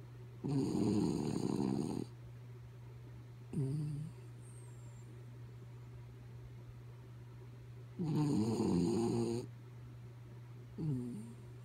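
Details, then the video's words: Sleeping dog named Kaya Boo snoring indoors: two long rasping, throaty snores of about one and a half seconds each, separated by shorter snuffling breaths, over a steady low electrical hum. "Sleepy Kaya Boo Snoring"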